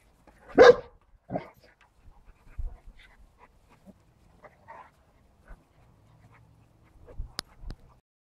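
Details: Dogs at rough play, a Siberian Husky puppy with a Cane Corso and a Bernese Mountain Dog, giving one loud sharp bark, a shorter second bark, then scattered soft grunts and scuffling with a brief yip near the end.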